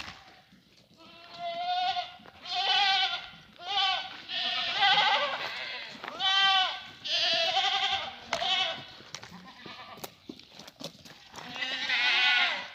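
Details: French Alpine goats offered for sale in the city of Guercif, bleating loudly. Around eight wavering, strongly harmonic bleats come over twelve seconds, some long and quavering and some short. They follow closely on one another, with faint farm noise between them.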